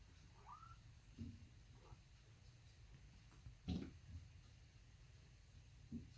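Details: Kittens, three orphaned, raised indoors after their mother went missing, playing together; one brief rising-then-falling mew early on, a couple of fainter short mews after, with soft thumps and low room hum throughout.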